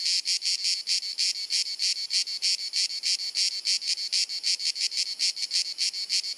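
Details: Repetitive clicking, chirruping cicada song from Dalmatia, Croatia, in hot summer sunshine, recorded with a compact camera; shrill buzzing bursts follow each other about three times a second, evenly and incessantly.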